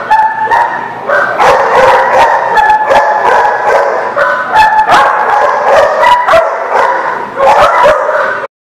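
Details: Dogs barking nonstop at a place called the Barking Lot, recorded 19 August 2019; a fast, dense chorus of sharp, clipped barks and yips from several dogs, almost three per second, cutting off abruptly at the end.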